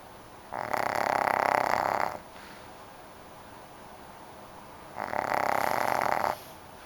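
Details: Snoring from a dog asleep indoors, two drawn-out raspy breaths about three seconds apart with a soft, steady background hiss between them.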